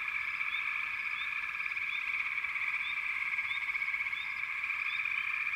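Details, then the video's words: Steady massed frog calling hums high and even. Brief rising chirps pop out roughly every half second to second over the continuous drone. "FROGS - Pig Frogs, Water Frogs, Backwater Chorus, & Frog Chorus"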